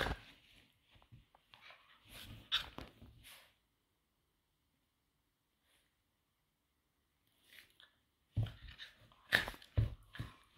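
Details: Two Patterdale fell terriers, Obscura and Estacado, play-fighting: rough, noisy growls and scuffles over the first three seconds, a long quiet gap, then a louder burst of tussling growls near the end.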